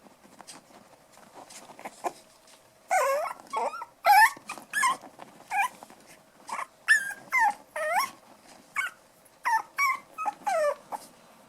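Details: Playing toy poodle puppies, five weeks old, black toy and white dwarf pups Bullet, Elsa, Erin and Mikasa, letting out rapid runs of high, sliding yelps and whiny squeals in short bursts, starting about three seconds in and continuing to the end.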